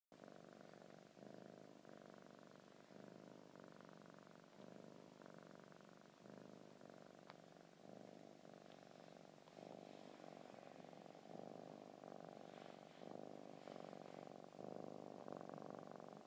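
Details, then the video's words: A 5-month-old male Munchkin-type kinkalow kitten purrs steadily while kneading his blanket, a low rumbling throb pulsing about three times a second. "munchkin kitty purrs/kneads blankie ☃ kinkalow kitten"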